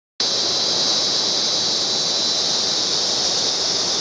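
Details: Cicadas singing in the background: a steady, unbroken shrill buzzing hiss held at an even loudness throughout, with no other clear sounds.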